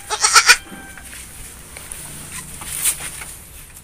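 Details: Etawah goat nanny that has just borne three kids gives a short, tight, nasal bleat in the first half-second, then low background hiss with faint scattered knocks.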